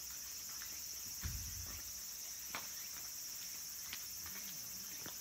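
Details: Late-summer cicada chorus in the wooded mountains around Kabusanji temple, Takatsuki, Japan, home to singing minmin and tsukutsukuboshi cicadas: one continuous shrill, even drone fills the high register, with a few soft thumps and knocks below.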